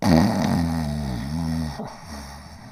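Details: Border Collie asleep, giving one long, low, vibrating snore that wavers in pitch and fades into a breathy rasp, in a small quiet room.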